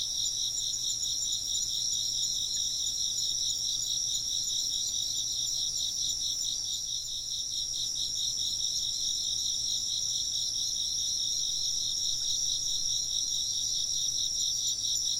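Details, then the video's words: Insects chirping together, a continuous shrill chorus with a faintly pulsing high trill and layered callers at slightly different pitches, unbroken for the whole stretch; no wind chime rings are evident. "風鈴の音と虫の声 - wind chimes and chirping insects"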